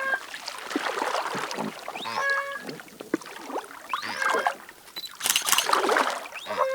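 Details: Koru, a male orca over 8 metres long and about 5 tonnes in New Zealand, separated and scared, gives repeated high, rising, harmonic squealing whistles after being touched, probably calling out to his family.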